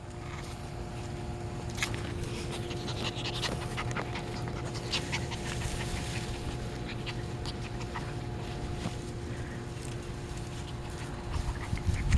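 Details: Puppies playing outside, breathing in quick, rough panting huffs that run steadily through the whole stretch, with scattered soft scuffs and clicks of movement over a constant low electrical hum.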